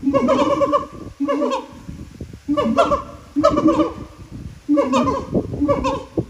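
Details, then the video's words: Siamangs singing at Japan Monkey Center, throat sacs amplifying very loud voices; booming low hoots with harmonic overtones in rhythmic bursts roughly every second, separated by short gaps. "歌うフクロテナガザル | Singin siamangs"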